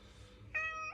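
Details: Indoor house cat meowing to be let out into the yard for a walk on a cold day: one clear, steady, tonal meow of about half a second after a quiet start.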